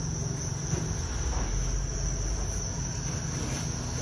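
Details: Farmed Thai crickets at a commercial cricket farm. A steady, unbroken high-pitched trill from many crickets calling together, with a constant low rumble underneath.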